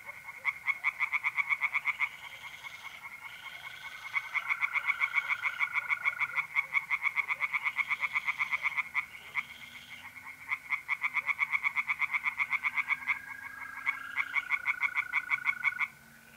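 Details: Tree frogs singing in a pond on an April night in north-east Italy: rapid, regular pulsed croaks about eight per second, several callers overlapping in long bursts, with a steady trill of mole crickets running beneath.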